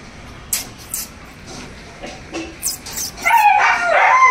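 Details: Three Chow Chow puppies give a few soft yips, then a high, wavering whine rises into steady whimpering.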